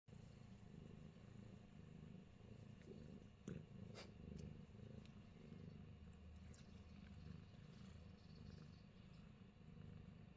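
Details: Fat Boy, a Himalayan Persian cat in New Zealand, purring steadily: a low, continuous rumbling throb that pulses in a fast even rhythm, with a few faint soft clicks and rustles above it.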